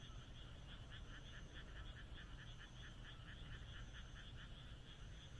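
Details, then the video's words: Night chorus of frogs in the moonlit Japanese countryside, with clearly beaded, rhythmic croaks repeating several times per second in two high layers, backed by a constant deep rumble. "田舎の月夜 カエルの鳴き声"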